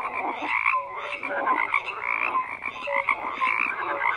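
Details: Brief stretch of a frog chorus, rapid rasping croaks layered with short whistled notes repeating roughly every half second.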